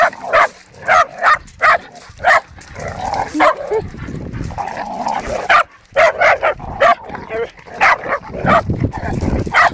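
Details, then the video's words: Hungarian Vizslas playing wildly indoors, giving repeated short barks and yips in bursts, some whimpering between, with people talking in the background. "Vizslas going nuts"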